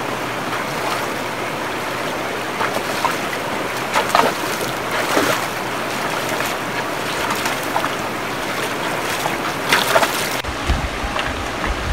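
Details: Wind and splashing water, like a boat on choppy waves, with no animal calls. Bursts of spray and wind buffeting rise and fall throughout.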